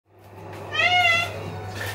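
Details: Maine Coon cat meowing indoors: one clear harmonic meow lasting about half a second, rising then gently falling, against a steady low electrical hum.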